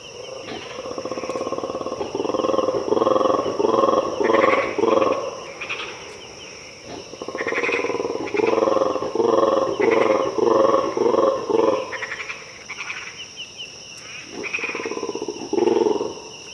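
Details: Black and white colobus, or mantled guereza, in Ethiopian cloud forest at dawn around 5am: deep pulsed croaking roars in rapid rhythmic bursts, several series separated by short pauses, with a steady high insect whine behind.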